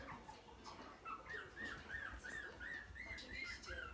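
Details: Puppies give a fast run of high, arched whines, one after another about three per second, rising then falling in pitch, with murmuring voices underneath.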